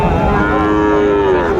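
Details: Sahiwal bull calves at the Raniganj livestock market, Dinajpur, Bangladesh, on a Thursday, 18 April 2024; a sustained, even-pitched lowing moo that sags slightly at the end, with busy market voices in the background.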